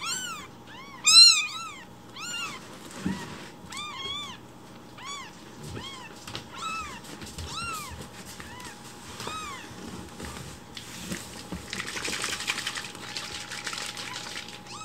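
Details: Rescued baby kittens calling loudly in the morning, demanding their breakfast milk while it is being prepared; rapid high rising-falling meows repeat in quick succession, then grow sparser amid a burst of rustling noise near the end.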